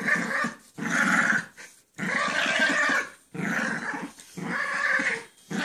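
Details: Two pet dogs, Chance and Sally, playing indoors, with Chance lying down so he does not fall on her; bursts of rough, throaty growling about a second long, broken by short pauses, in a small room.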